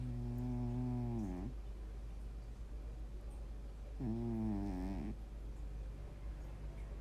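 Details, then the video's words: A cat snoring: two long, droning, harmonic snores about four seconds apart, each lasting over a second, set against a steady low hum. "고양이 코골이 소리"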